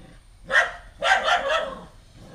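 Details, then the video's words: Household female dog objecting to a newly arrived stray puppy: one sharp bark, a short pause, then a rapid run of three harsh barks. "Dog keep on barking at the new puppy, a stray dog"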